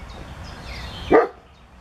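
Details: A single short, sharp dog bark over a low, steady background hum, recorded on 22 June 2017 in northern Germany, where mating plume moths react to the barking.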